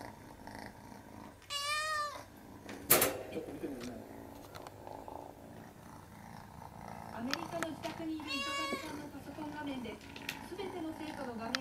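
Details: Munchkin kitten crying: two high, wavering, strongly harmonic meows, one near the start and one late, with a person talking quietly and a sharp click between them.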